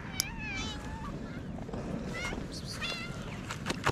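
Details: Hungry homeless cats in Morocco, a calico among them, call in quick succession: several wavering high meows, some overlapping, against low traffic noise and a few clicks.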